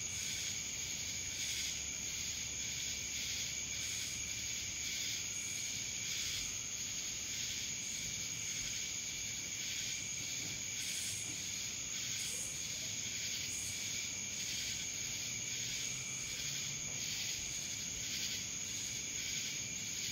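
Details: Cicadas in Dallas, Georgia: a dense, steady high-pitched insect drone with a constant shrill tone and softer pulsing swells that rise and fall every second or so, with no other clear sounds.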